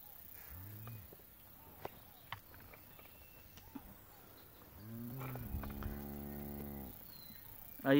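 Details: A one-month-old calf on a Salvadoran farm gives a sustained, flat, low moo lasting about two seconds, preceded by a shorter bawl. A man's voice and handling noises surround it.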